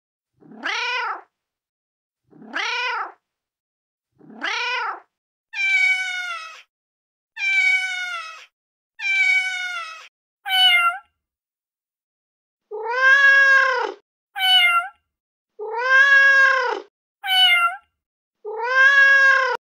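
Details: Feral mother cat calling her kittens: about thirteen meows, the first three short and arched, then longer, fuller harmonic meows mixed with brief high chirping notes, separated by clear pauses in a quiet background.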